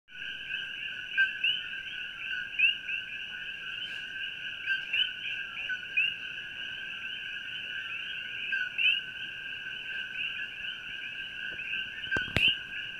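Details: A dense night chorus of coqui frogs in Pahoa on the Big Island of Hawaii, their high two-note calls blending into a steady, ringing wall of sound.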